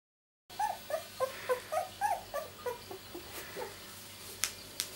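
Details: Miniature Labradoodle puppies, two weeks old, born 31 July 2009, in a litter from a mother named Rosie: a steady run of high, short whimpers and squeaks about three to four per second, fading toward the end, with faint clicks.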